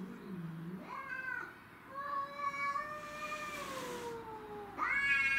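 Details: Fighting domestic shorthair cats over territory: a low growl rises into a long, nasal, slowly falling yowl lasting several seconds, ending with a sudden sharp screech.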